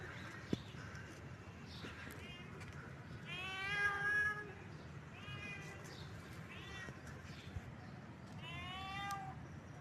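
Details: Domestic cat in heat calling: drawn-out, harmonic meows that waver in pitch, the loudest near the middle and another at the end, with fainter meows between, over a steady low background hum.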